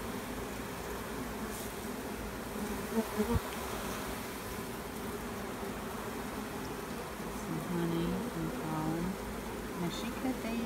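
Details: Colony hum from bees while a newly introduced queen is checked: thick, even buzzing drone with a low tonal band, a few sharp taps early on, and faint murmured voices in the background.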